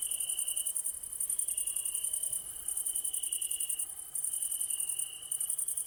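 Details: Evening ambience of crickets: continuous shrill high-pitched trilling, rapidly pulsed, with a second steady chirping band lower down, brief dips in loudness, no other clear sounds.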